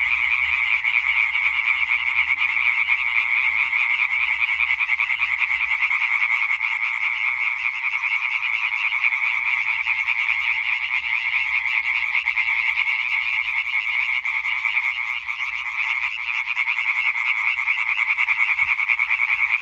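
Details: Twenty seconds of a European tree frog chorus from 20 May 2023: numerous frogs croaking in rapid, rasping series, forming a loud, even, continuous rattle with a slight dip in intensity near the end.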